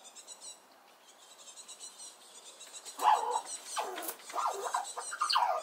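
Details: Red squirrel making a loud squeaky racket while another squirrel comes near, defending its nut supply; after a quieter start come rapid, bending squeals in quick succession, each arching downward in pitch.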